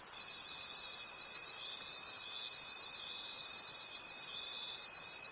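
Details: Crickets at night in the forest, a pulsing high-pitched chorus of rapid chirps beating about three times a second, with a constant fine tonal trill running underneath throughout.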